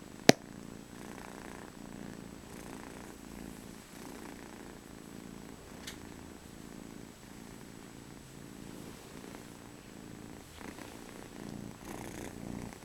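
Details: A cat purring indoors, a steady low rumble pulsing with each breath, soft and close, with a sharp click near the start and faint room hiss.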